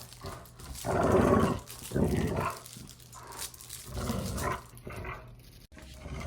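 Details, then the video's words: A dog growling while playing, used for desensitization: several short, gruff growl bursts under a second long, rumbling and uneven, with quieter stretches between them. "Dog Play Growling"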